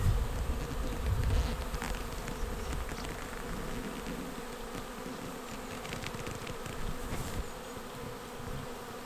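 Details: Honeybee swarm arriving at a bait hive swarm trap on 19 May 2021, the bees filing straight into the box. A dense, steady droning buzz with a low hum, plus low rumbling thumps in the first seconds.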